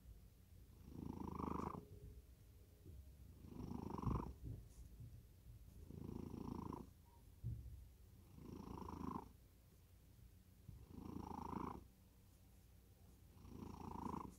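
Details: Deeply sleeping domestic cat snoring in a regular rhythm, about six coarse, low breaths over fourteen seconds, each rising to a soft buzzy peak before fading, with faint tapping sounds in between.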